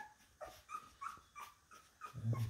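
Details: Labradoodle puppies, talked to about food; thin, high whimpering squeaks, short tonal cries repeated roughly every third of a second, ending under a low humming sound.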